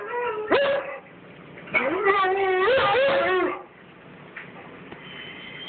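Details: Pet dog singing along indoors to a recording of another singing dog: two wavering, whining howls with rising and bending pitch, the longer one lasting nearly two seconds, followed by quiet room noise and a faint tone.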